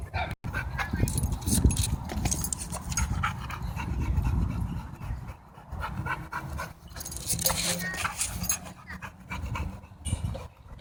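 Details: Dogs playing at a dog park, rough low growling and heavy panting mixed with people talking nearby, with odd noises scattered through.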